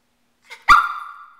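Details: Male Shih Tzu kept as a pet, refused an outing; a soft short yip then one sharp bark that trails into a held high whine.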